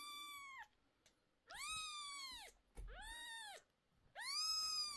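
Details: Upset mother cat crying as medicine goes into her 11-day-old kittens' sore eyes. Three long, loud, strained wails, each arching up and falling away, about a second apart, with a faint thump between them.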